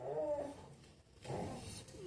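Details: A male Labrador Retriever, apparently moaning while wanting a biscuit, gives two drawn-out, moaning whines with a short pause between them.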